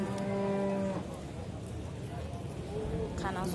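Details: A bull at the Shahrixon livestock market in Uzbekistan gives a steady, deep moo lasting just under a second. Market crowd noise and Uzbek talk follow, with a fainter, shorter moo near the end.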